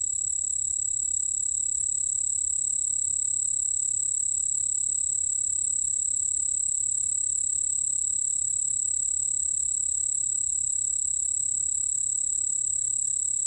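A white-whiskered bell cricket sings a steady, very high, ringing trill that pulses rapidly without pause.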